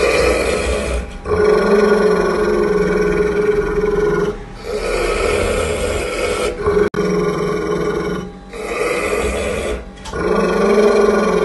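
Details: Angry pit bull growling at its owner during feeding, in long, rough, rumbling bursts separated by brief pauses.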